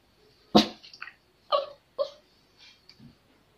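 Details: Pomeranian puppy named Honey, in a pet sitter's care, giving three short, sharp yapping barks about half a second apart, the first loudest, followed by a few fainter, softer sounds in an otherwise quiet setting.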